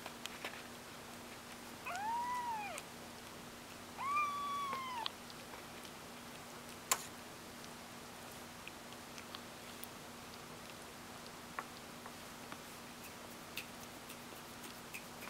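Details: Two thin, arching kitten meows come close together early on, from young cats learning to walk. Afterwards only scattered light taps and clicks are heard in a quiet indoor space.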